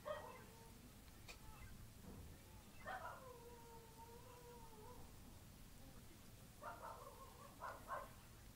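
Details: Kittens that are very close companions, crying once separated from one another; several short meows open, then a long wavering, drawn-out cry, followed by two more clustered mews over a low steady background rumble.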